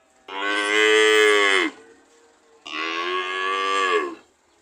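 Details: Cow lowing twice, two steady moos of roughly a second and a half each, the first louder, the second slightly softer and rising before it ends.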